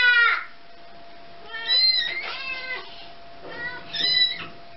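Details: Domestic cat trying to get its kitten back from a baby's hands, indoors: three high, bright meows with rich overtones, each under a second, spaced a couple of seconds apart, over a faint steady hum.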